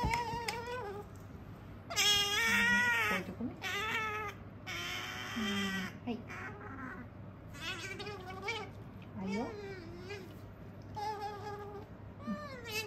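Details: Pet otter, a female, eating a meal while talking nonstop in 'nyamu-nyamu' style. Repeated squeaky, wavering chirps arrive in uneven clusters, some loud and rich, others softer, over a steady low indoor hum.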